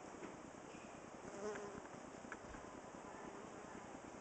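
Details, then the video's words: Close view of honey bees fanning to cool their hive in a cedar nest box, recorded July 23, 2011; a thick, continuous buzzing drone with a short louder rise in the middle. "Honey Bees and Squirrel box - fanning up close"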